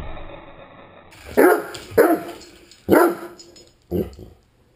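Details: Great Dane barking while playing with a remote-controlled toy helicopter: four loud, short, harsh barks about a second apart, each a sharp burst over a quiet background.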